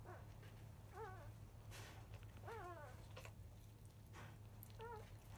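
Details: Five-day-old black field-line Labrador Retriever puppies, three of them, still nursing at 11:30 a.m.; short high squeaky whimpers, each arching then falling, about four calls spaced a second or so apart over a low background hum.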